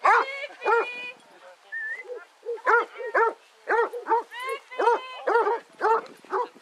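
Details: Pack of 18 Basset Hounds on a walk round Belwade Farm near Dess, Aboyne, Scotland, 10 August 2014, giving loud, rich, harmonic bays in quick overlapping bursts, several voices calling over one another with short gaps, some rising yelps between.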